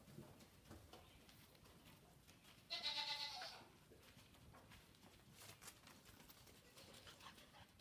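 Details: Goat reacting to a deaf Saint Bernard puppy named Frances: a single short, bright, wavering bleat near the middle, set against faint rustling and scattered clicks.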